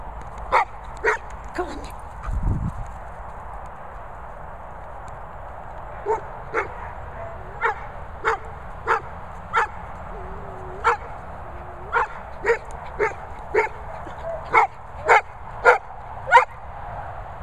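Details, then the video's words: Golden retriever talking: short, sharp yelping barks repeated roughly every half second to second, sparse at first, then a steady run through the second half, with a low thump early on. "Golden Retriever Talking"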